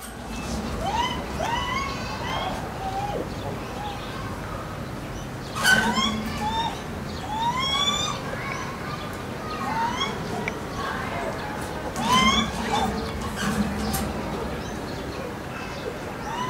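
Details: Lar gibbons Kotaro, an 11-year-old male, and Ai, a 6-year-old female, at Maruyama Zoo, Hokkaido, Japan, on 8 April 2016. Kotaro calls while chasing: rising, arching whoops with bright overtones come in bursts, broken by a few sharp broadband knocks.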